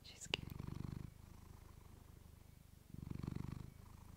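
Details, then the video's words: Female domestic cat purring, captured up close on a fluffy mic; a sharp click at the start, then a fast pulsing low purr that swells loudly twice and fades to a softer rumble between. "Cat purring you to sleep with fluffy mic"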